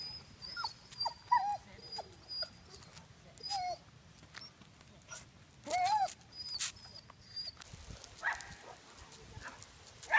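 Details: Basset hound during an off-leash obedience training session gives high, thin whining whimpers at irregular intervals, some rising and falling, while a trainer talks and gives commands nearby.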